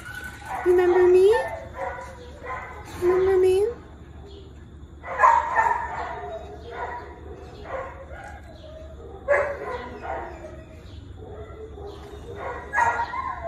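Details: Female shelter dog at West Valley animal shelter seeking visitors' attention gives short rising whines near the start, then yips and whimpers among Spanish speech and background music.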